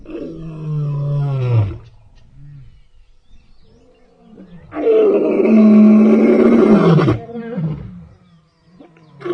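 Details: A lion on an African game farm gives two deep, throaty roars, the first about a second and a half long, the second louder and longer after a pause, with grunts between.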